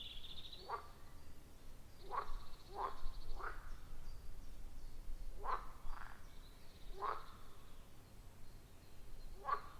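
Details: Loud chorus of frogs around a wild forest pond: brief rasping croaks every second or so, some in quick pairs, with a faint higher whistling note in the background and constant low rumble.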